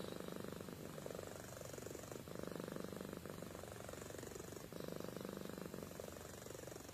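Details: Sleeping domestic cat named Amy purrs and snores, a continuous vibrating rumble in breath-length phrases of one to two seconds with short gaps between them.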